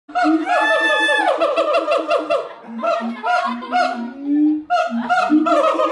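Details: Siamangs singing at the Los Angeles Zoo in California, a loud chorus of rapid hooting notes rising into long wavering whoops, rich harmonics, with booming lower barks repeated through the phrase.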